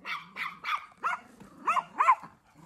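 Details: Young dog under eight months old learning to help herd sheep by barking like a New Zealand Huntaway; a run of sharp, fairly high barks spaced irregularly, with a woman's voice calling commands between them.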